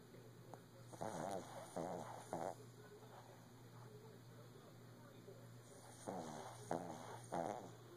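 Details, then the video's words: Sleeping Shih Tzu dog, lying down early in the morning, gives short rough snorts in two bursts, several quick buzzy snores around the first two seconds and again near the end, with quiet breathing between and a steady low room hum. "Snoring shih tzu"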